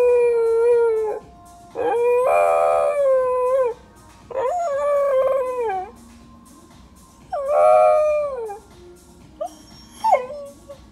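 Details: Pet Pembroke Welsh corgi singing along with music being played: a run of wavering, falling howls, each a second or two long with gaps between, the last ones brief and trailing off, soft music in the background.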